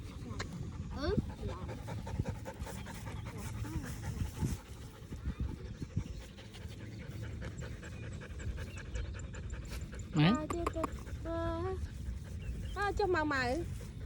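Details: Playful dog outdoors in a sunny green countryside field, tongue out and tail wagging. Steady rapid rhythmic panting runs throughout, with short bright whistled sweeps and squeaks near the end.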